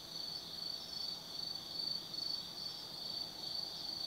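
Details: Autumn insects calling at night at Tsukimi no Mori, Kaizu, Gifu, Japan: a high ringing trill with rhythmic pulses about two or three times a second over a steady shrill drone.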